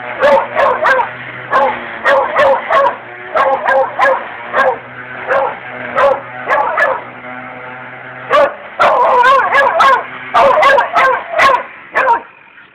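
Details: Dog barking at a weed wacker: rapid, sharp barks in bursts of three to five, short pauses between, with a steady low engine drone underneath throughout.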